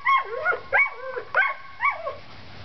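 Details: Four sharp, high-pitched yips from seven-week-old Collie pups at outdoor play, each yelp sliding downward into a brief whine, spaced roughly half a second apart.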